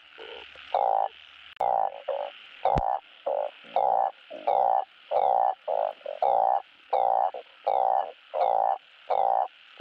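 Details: Truncate-snouted burrowing frogs calling to attract mates for breeding: strong, nasal croaks lasting about half a second to a second, repeated irregularly by several animals, with two brief clicks early.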